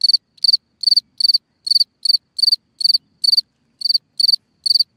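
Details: Night-time cricket calling from its burrow hole in the ground, giving bright high chirps of a few rapid pulses, spaced roughly every half second with slightly uneven timing, over a silent background.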